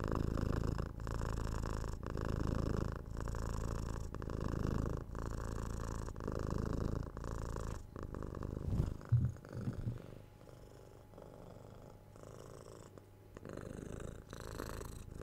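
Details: Pet cat's deep, loud purr pulsing in breath-length cycles roughly every second, then fading to a quieter, softer rumble after a brief burst of rustling midway.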